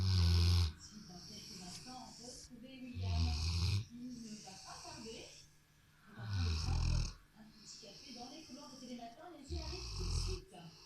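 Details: A Rottweiler settled on the sofa snores in deep, rumbling bursts roughly every three seconds, with quiet breathing between.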